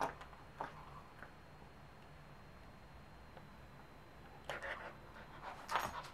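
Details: A 3-month-old Pembroke Welsh Corgi puppy, excited over a new bone, gives short, breathy yips and whimpers in scattered bursts.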